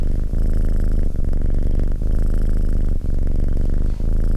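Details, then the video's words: Close, deep purring of a domestic cat: a dense buzzing rumble in rhythmic inhale–exhale waves close to one second apart, with short soft breaks between them, and no background noise. "Cat Purring"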